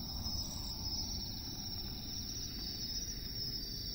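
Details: A Western Japanese katydid, commonly heard in the lowland plains of western Japan, keeps up a continuous, shrill, buzzy trill that holds steady in pitch, with a soft low rumble of outdoor noise underneath.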